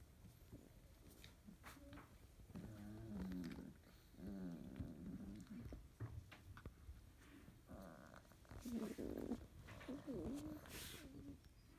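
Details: Morning litter of 31-day-old field-type Labrador Retriever pups, still drowsy, as yellow female Debbie wakes and nibbles a brother's head. Low wavering grunts and short whiny moans come in irregular bursts over bedding rustle.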